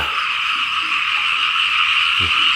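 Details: Many frogs croaking together in wet fields in Laos during rain, a seamless shrill, buzzing chorus with faint low knocks near the end.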